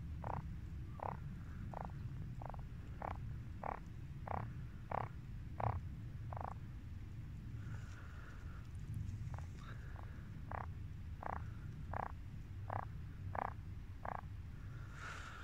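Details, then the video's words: Pond frogs in March give a steady series of short, grating croaks roughly every half second, with a brief pause midway, set against a continuous low rumbling background hum. "Croaking Frogs"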